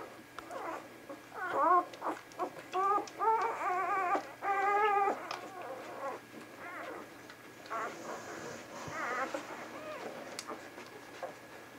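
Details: Litter of young Vizsla puppies recorded on 10 January 2013, whining and whimpering: a run of short, wavering, high squeals that bunch into louder rising-and-falling cries around the middle, then trail off into softer whimpers over a steady low hum.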